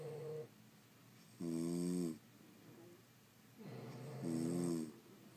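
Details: Two loud nasal inhalation snores from sleeping French Bulldogs, separated by low wheezy breathing, in a quiet indoor setting.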